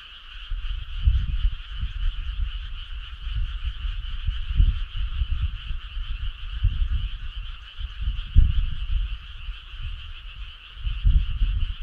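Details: Frog choir on a midsummer night along a starry country road: a steady, dense trilling drone at two bright pitches runs throughout, beneath loud, irregular low rumbling bursts that swell and fade.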